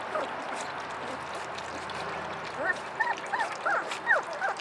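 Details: Hungry puppies at play whimper in short arched whines that rise and fall, about eight packed into the last two seconds, over a steady background hiss.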